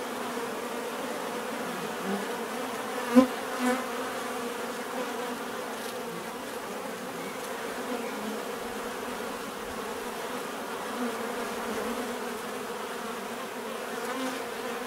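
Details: Steady, unbroken hum of many bees, with a low droning tone and a few brief louder passes near three seconds as single insects fly close.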